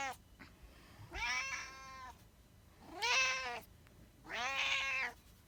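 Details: Domestic cat giving three drawn-out meows roughly two seconds apart, each rich and slightly rising then falling, in a quiet room.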